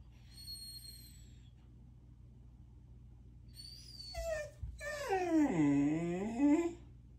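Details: Eleven, a female German Shepherd, cries indoors at bedtime on 3-9-2023, missing her dog friends, including Dun Dun, who were gone for a week; thin high whimpers, then a long wavering whine that dips and rises again.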